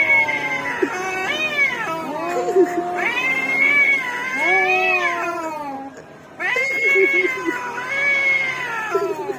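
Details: Orange cats fighting in a vocal duel: drawn-out, wavering, moaning yowls that rise and fall in pitch, overlapping one another, with a short break near the middle before the howling resumes.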